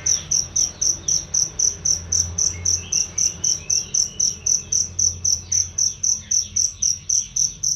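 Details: Loud, clear cricket chirping meant for training songbirds; an unbroken run of sharp, very high pulses at a fast steady rhythm, near four a second, with a soft low hum behind.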